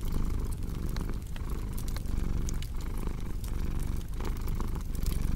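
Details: Deep rhythmic purring from a pet cat, its low vibrating drone breaking into regular inhale and exhale pulses, set against the crisp popping and crackling of a fireplace.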